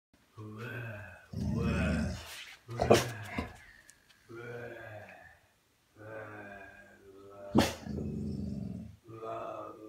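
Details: An eight-month-old American Bully puppy tearing up a teddy bear it got as a birthday present, giving low, rough harmonic growls in bursts of one to two seconds, broken by short gaps, with a few sharp thuds between.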